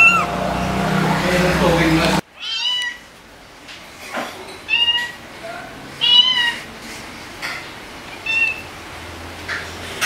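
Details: Margaret, a rescued white cat with orange markings on her head and tail, once shy and crying constantly outdoors, gives a series of short arched meows roughly every two seconds after a loud noisy burst, in a quiet setting.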